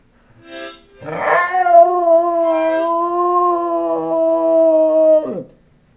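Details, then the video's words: Rowdy, a pet dog, sings to a harmonica. After a brief opening note, a rough rising yelp becomes one long, even howl held for about four seconds, then ends in a quick downward slide. Harmonica sounds in the background. "Dog singing"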